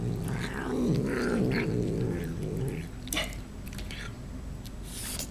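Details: House cat eating and making noises: a low, rough, murmuring growl for about two seconds, followed by scattered crunchy chewing clicks and a brief rustle.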